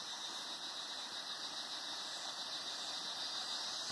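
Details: Cicadas sing in a steady, shrill, high-pitched buzz that holds without a break, in the Atlantic Forest at Sítio das Mulatas, Araras, Petrópolis, Rio de Janeiro, Brazil, in 2021.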